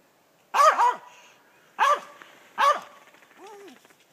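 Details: Squirrel dog in South Georgia treeing a gray squirrel: a double bark, then two single hoarse barks about a second apart, ending with a softer whining yelp.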